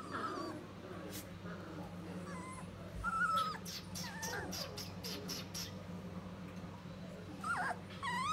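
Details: Three-week-old River/Blue Standard Poodle puppies giving scattered high whimpers and short squeaky calls, some rising or wavering, over a steady low hum, with a few brief sharp clicks and rustles.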